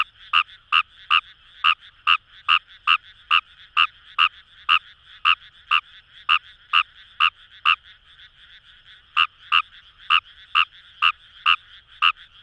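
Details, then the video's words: In rice paddies by the Kamo River in Itoshima, Fukuoka, Japan, a Fejervarya kawamurai gives brisk harsh croaks roughly twice a second, pausing briefly midway, over a steady background chorus of more frogs. "Wild Frog Call | ヌマガエル"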